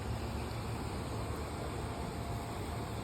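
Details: Steady traffic rumble and broadband hiss throughout, with no animal sound.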